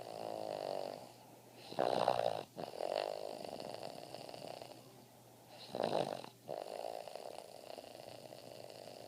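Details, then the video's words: Boston Terrier snoring soundly while asleep: two loud, rasping snores about four seconds apart, each a harsh, buzzy inhalation, with softer, steady breathy rumbling between them. "Boston Terrier snoring soundly"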